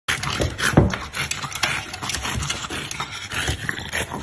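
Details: French bulldog. A French bulldog makes rough, breathy snorts and snuffles in quick irregular bursts. A short low grunt stands out near the start, and faint background noise runs underneath.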